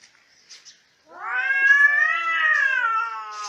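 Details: Cats fighting: after a second of near quiet with soft scuffs, a loud tense yowl begins and rises gradually, then holds a steady, slightly wavering pitch to the end.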